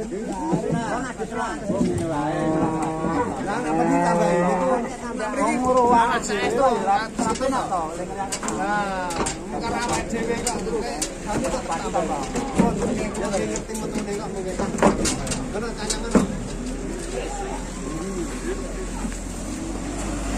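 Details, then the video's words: Giant cattle unloaded from a truck in Indonesia, mooing repeatedly; long drawn-out lows with wavering pitch overlap in the first half, then thinner calls follow over steady crowd chatter and banging. "KUMPULAN PENURUNAN SAPI RAKSASA BESAR TERJUMBO"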